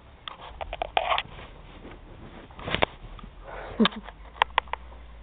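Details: Thor, a black Labrador Retriever puppy, sniffing around the bunnies indoors in June 2009: short breathy bursts of snuffling in uneven clusters, with a few sharper clicks near the end and faint voices in a small room.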